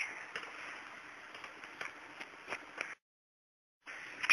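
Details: Faint hiss and soft clicking indoors, broken by a second of silence, with no animal voice.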